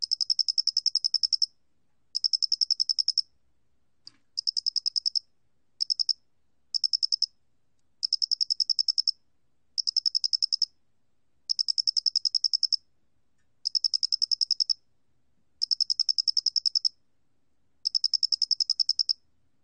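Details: Doenitz's cricket recorded by the National Institute of Biological Resources in 2020. It gives a high, clean chirping song in bursts of rapid even pulses, each about a second long, separated by short irregular pauses across the clip, with a silent background.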